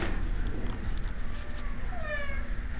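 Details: Shelter cat in Idaho Falls giving a single falling, harmonic-rich meow about two seconds in, over steady low rumbling room noise.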